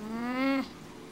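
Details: Tink, a pet cat, 'talking' indoors while evading a flea bath and excited about dinner: one drawn-out meow of about six tenths of a second, steady and slightly rising in pitch, richly harmonic, cut off abruptly, then quiet room.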